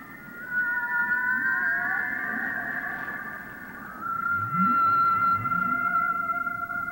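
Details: Underwater humpback whale song near Moorea, French Polynesia, during mating activity as males compete for a female: long, resonant tones bending slowly up and down over deep rumbles and soft swoops.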